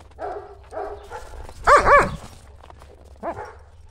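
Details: Buffy and Willow, German Shepherds, chasing a ball through snow on a cold January day: a quick run of short, harmonic barks, the loudest a double bark in the middle, then one more.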